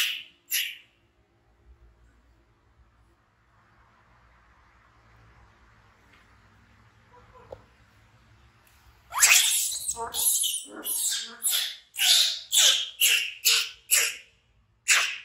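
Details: An orphaned infant monkey named BEAN, frightened, gives a long series of sharp, raspy screams, roughly one every half second, after several seconds of near silence with a faint low murmur.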